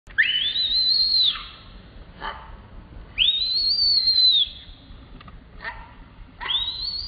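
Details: Baby monkey screaming: three loud, high, whistled screams, each rising sharply then holding a long arched tone for about a second before dropping away, separated by quieter pauses with faint short calls.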